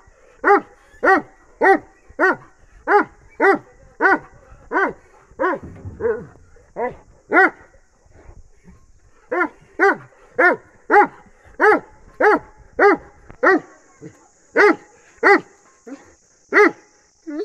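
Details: Bully x Dogo Argentino crossbred dog giving long runs of short, deep barks about every half second. A brief pause and a low scuffle break the run midway, then barking resumes while a thin, high electronic whine starts near the end.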